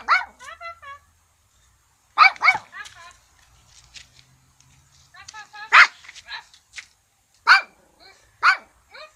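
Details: An old dog barking for nothing: bursts of sharp barks mixed with whiny, yelping sounds, spaced irregularly, with a faint low hum in the background.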